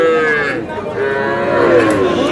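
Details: Sahiwal bull calves at a cattle market, being bought by a farmer from Barisal; a sustained, drawn-out moo runs almost the full clip as a steady harmonic tone, with people's voices and market chatter around it.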